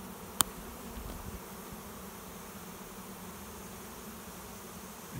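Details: Honey bee swarm entering a swarm box behind a garage, choosing a new home; a constant low hum of wings carries on, broken once early by a sharp click.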